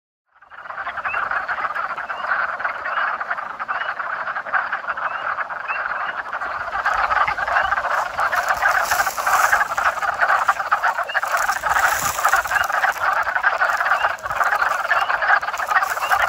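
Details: Frogs calling in a backyard pond during the 2021 mating season, a dense, unbroken croaking chorus of many overlapping callers that swells slightly louder after the first few seconds, no voices heard.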